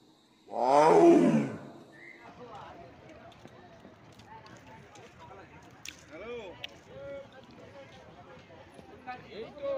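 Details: Royal Bengal tiger in the Sundarbans: a single loud, deep, harmonic roar lasting about a second opens the recording, followed by faint low voices and scattered quiet sounds.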